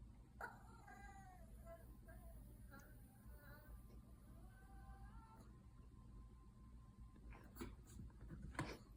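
A Yorkshire Terrier puppy makes a run of whiny, moaning vocal noises that rise and fall.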